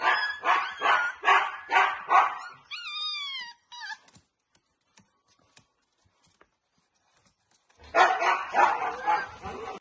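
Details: Siberian Husky puppies in a basket: a rapid run of hoarse yaps, then several high, whining cries that rise and fall, a near-silent gap with faint clicks, and a final burst of yapping.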